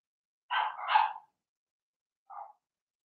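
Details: Cavalier King Charles Spaniel puppy, Blenheim colouring, one of six littermates in a home pen. A loud, drawn-out double bark with a rough, whiny edge is followed by one soft short yip.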